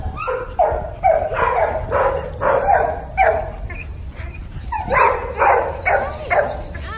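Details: Puppy barking steadily, about two sharp high-pitched yaps per second with brief gaps, a short pause midway, then more rapid barks.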